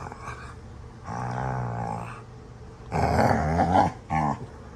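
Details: Two dogs, Astrid and Brielle, playing rough indoors; loud throaty growls in long rumbling bursts, one around a second, another rising harsher near three seconds, then a short final growl, with a steady low hum behind.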